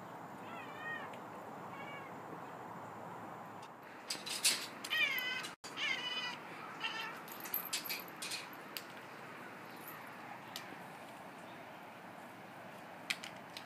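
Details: Indoor Siamese cat yelling through a screen at a Western Scrub Jay sorting peanuts on a patio: two wavering harmonic meows early, then a louder burst of rapid, strained meows around the middle, followed by scattered clicks and faint rustling.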